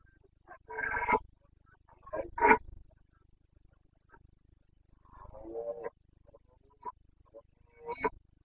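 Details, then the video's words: Carpathian red deer stag in the Bucovina mountains, Romania, roaring during the breeding season (boncănit), 29 September 2022: loud, rough harmonic bellows about a second long, repeated irregularly with quiet gaps and fainter shorter grunts between. "Boncănit / Carpathian stag Breeding season"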